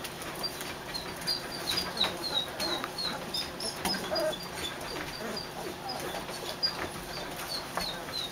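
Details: Faint, high, chirp-like squeaks from three-week-old puppies in a dog show trailer repeat irregularly throughout, set against shuffling, scratching sounds and a low steady hum.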